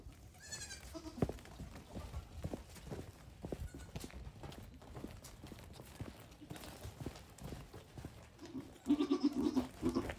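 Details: Newborn goat kids, one day to a week old, on a farm where fifteen have been born; a brief bleat at the start, then a louder wavering bleat at the close, between rustling, bumps and handling noise.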